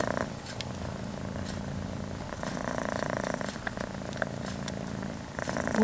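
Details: Domestic cat purring while an almost five-month-old kitten nurses from the mother cat indoors; a continuous low, throbbing purr with faint lip-smacking and light rustles.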